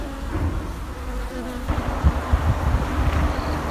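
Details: Honey bees from an old colony under an abandoned sofa, buzzing while combs full of drone pupae are cut out; constant deep hum with a few sharp knocks and rustles.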